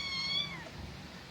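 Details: Himalayan cat drinking milk gives a single clear meow, bright and harmonic, gliding downward in pitch and fading within about half a second over a quiet room background.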